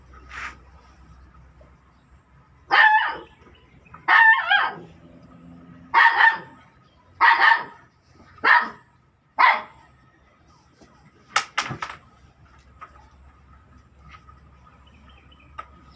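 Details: A dog barks six times at uneven intervals of one to two seconds, each bark short and rough, followed by a couple of sharp clicks against a faint low hum.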